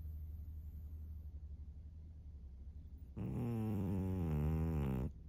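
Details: Senior female fawn pug Maria, 13 years old, Japan, March 2024: after three seconds of quiet low hum, one loud, rough two-second snore that wavers slightly in pitch.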